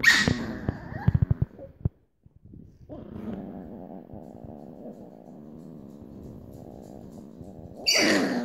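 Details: Grumpy female Chihuahua puppies growl in a low, rumbling, continuous stream while one puppy wants to play.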